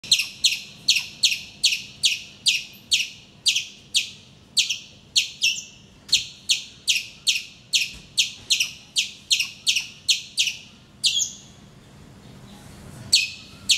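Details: Vociferous squirrel calling in the morning from a mango tree outside a bedroom window in Calicut, Kerala, India, facing the camera; sharp, high chipping notes repeated about twice a second in a steady series, with a short pause near the end.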